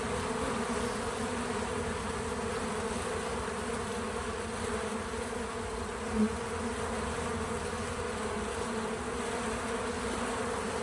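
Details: Bees visiting a feeder, natural buzzing left untouched: a steady low humming drone with layered tones, many wings blending into one continuous sound, one closer, louder buzz passing at about six seconds; no music or voices.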